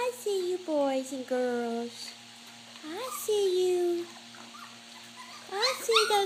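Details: Puppies eating mash give a few drawn-out whines that slide downward, separated by quiet gaps, with a burst of higher squeaky whines near the end; a faint steady hum underneath.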